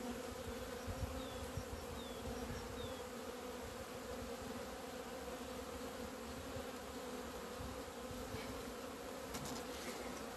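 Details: Honey bees on 17 February 2020, leaving their hive into the sunshine for the first time after two months of winter. A steady low droning hum continues throughout, with a few faint passing whines from individual bees.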